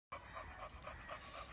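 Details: Adult male Chow Chow dog breathing in rapid, soft rhythmic pants, about four puffs per second, with a steady high background hum.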